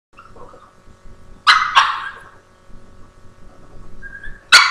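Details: Indoor Boston Terrier trying to get a Havanese to share his treat, recorded on a laptop webcam: thin high whining tones, then two sharp quick barks close together, more soft whining, and a final loud bark.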